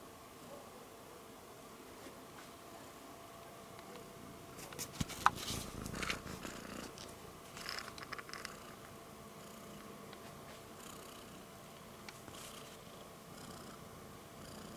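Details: Rudolph, a pet cat, purrs steadily while grabbing at the camera indoors, a soft low rumbling pulse of about four beats a second, interrupted midway by bursts of rustling and handling noise as it paws the device.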